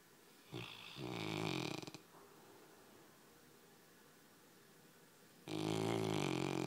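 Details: A pet Labrador Retriever snoring quietly: two rasping snores with a rough, harmonic rattle, the first around one second in, the second starting near five and a half seconds, separated by near silence.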